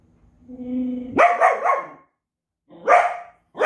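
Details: Belgian Malinois in an extreme barking bout: a low rising whine swells into a long harsh bark, then another bark after a short pause and the start of a third.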